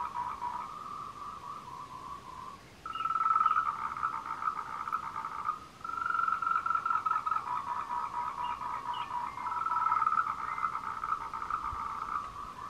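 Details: Courting tree frog recorded on the Meiling Wulong trail in Nanxi, Tainan, Taiwan, on 26 April 2018 with a Canon PowerShot SX720HS; fast pulsed chorus of short notes at a steady pitch, in long bursts with brief pauses.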